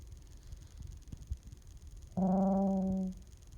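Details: Young puppy protesting when petting stops, one steady, harmonic moaning whine about a second long after quiet rustling and handling noise in a small room.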